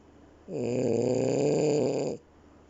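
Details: A French Bulldog gives a long, rumbling snore, a low rattling breath lasting over a second, while its eyes are open.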